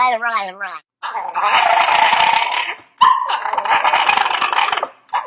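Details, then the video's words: Dog making weird, funny sounds: a brief whining note, then two long, rough, rasping growl-like rumbles, each lasting about two seconds, separated by a short pause. "Dogs Funny Sounds"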